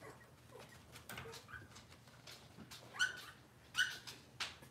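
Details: Cavalier King Charles Spaniel puppies indoors in a kitchen on a cloudy Monday morning, giving a few short, thin, high-pitched squeaky whimpers, two sharper ones close together near the end, over soft rustling and household background noise.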